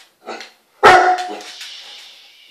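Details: An 8-month-old Great Dane pup named Daisy barks at a bath scrunchy indoors: a soft yip, then one loud, forceful bark that rings on with a long echoing tail, as in a tiled bathroom.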